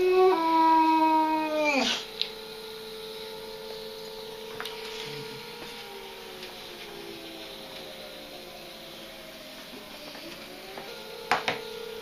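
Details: Mr. Darcy, a pet dog, howling indoors in response to a siren going outside: a long, loud, tonal howl that slides downward for about two seconds, then a quieter, steady drawn-out wail that drifts lower, with a faint siren-like tone in the background.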